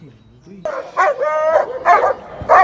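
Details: Long-coated German Shepherd puppies offered for sale in Delhi, India; after a quiet start, several high yelping and whining cries come in short bursts, with a steadier whine in the middle.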